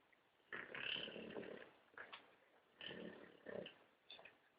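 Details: Old English Bulldog snoring while asleep: rough, breathy, rattling snores in three bursts, the first long and raspy, the others shorter, with quiet pauses between.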